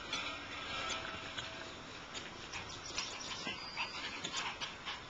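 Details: Several Shiba Inu puppies squeak and whine together in thin, high-pitched bursts, a busy continuous chorus of little cries without pause.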